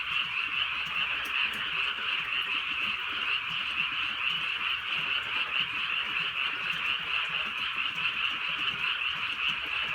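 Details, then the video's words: Night frog chorus in the countryside during light rain: a massed, rapidly pulsing croaking band holds steady throughout, dotted by faint rain taps and no other clear sounds. "개구리 소리"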